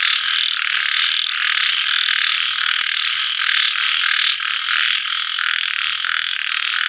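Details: After evening rain, at sunset, a throng of little frogs keeps up a steady, shrill, rattling chorus, countless calls blending into a shimmering wall of sound with slight rhythmic surges.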